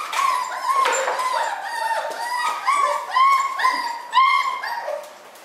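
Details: Miniature schnauzer newborns born on New Year's Day, whimpering together: a dense chorus of short, nasal, downward-bending squeals repeated roughly twice a second, several pups overlapping, fading slightly at the close.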